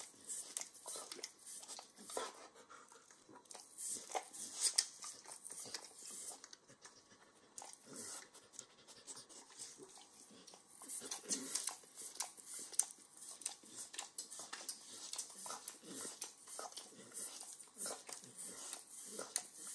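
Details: Long run of wet licking and nibbling by a 9-year-old Pit Bull eating overcooked bacon in a kitchen: dense clicky smacks in uneven bursts with brief pauses, close and dry, with light room hiss.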